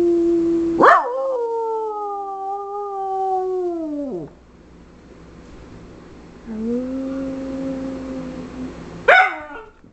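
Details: On her owner's cue, a female Schipperke sings a sharp yelp sliding into a long steady howl that drops away after three seconds, later a quieter low held tone and another yelp, with the owner encouraging her.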